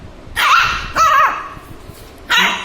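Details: Shih Tzu puppy, angry at being filmed, giving three sharp, high-pitched yapping barks spaced about a second apart, the middle one slightly drawn out, over a quiet indoor background.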